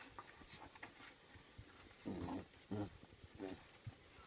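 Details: Eight-week-old Rhodesian Ridgeback and Saint Bernard cross puppies, indoors: short, wavering whines at about two, two-and-three-quarter and three-and-a-half seconds, over soft shuffling and small knocks.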